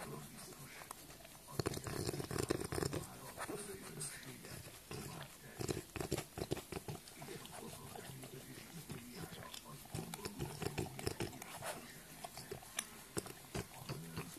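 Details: French bulldog indoors making low, rough snorting grunts in irregular bursts, pig-like and breathy, with a few sharper noisy snuffles; a person's voice is heard faintly in the background.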